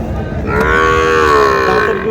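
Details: Cow at the Raniganj cattle market in Dinajpur, Bangladesh, where cows with calves are sold, giving one loud drawn-out moo of about a second and a half, steady then slightly falling, over a low murmur of market noise.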